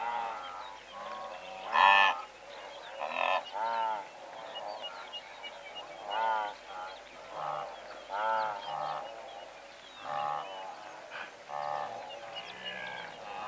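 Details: Blue wildebeest herd of several hundred heard at moderate volume: a steady stream of overlapping short honking grunts, one louder honk near the start, with a faint hiss behind the chorus.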